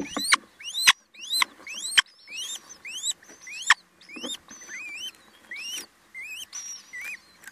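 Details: Loud, shrill squeaking from a mouse amid an attack: upward-sweeping notes, some bending and wavering, tumbling out irregularly almost twice a second, with occasional sharp clicks and a quiet background.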